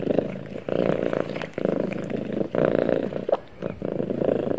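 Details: Cat purring while snuggled with its owner: a strong, low vibrating drone in short breath-timed bursts, with brief quiet gaps between inhalations and exhalations.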